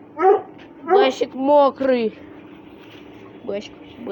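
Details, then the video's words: Whining from Russian Hounds during play-fighting: a few drawn-out, wavering whines that bend up and then slide down, followed by a quiet pause and one last brief yelp. "РУССКИЙ ГОНЩИЙ СВИСТ, СКУЛИТ+СОБАКИ ДРАКА ИГРАЮТ"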